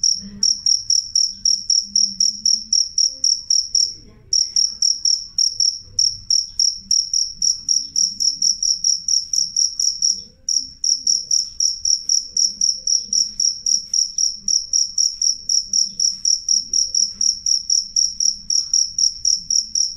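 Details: Loud, clear cricket song of piercing high chirps repeated steadily around four times a second, broken by two short pauses, with a soft low hum underneath.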